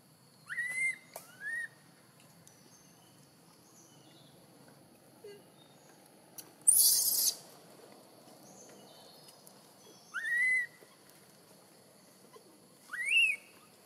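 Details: A baby macaque girl, just born and kept away by Tarzanna for a long time, cries loudly for milk in Siem Reap Province. Four piercing, rising whistled wails come at irregular gaps, with one short burst of harsh noise midway.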